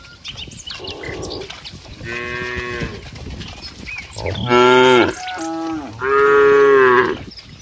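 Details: Several cows in green rice fields moo in loud, drawn-out bellows with strong harmonics, separated by short pauses.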